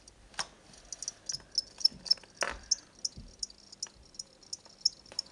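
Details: Two pet crickets, bought at a pet shop where they are sold as reptile food and given to a child as a gift, kept indoors: sharp, high chirps repeating several times a second, with a few low knocks and handling thumps.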